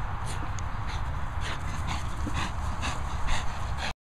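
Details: French Bulldog in a tizzy at A & B Dogs Boarding & Training Kennels in the Worcestershire countryside: short, high, strained yelps and whimpers repeat about every half second over a steady low rumbling background.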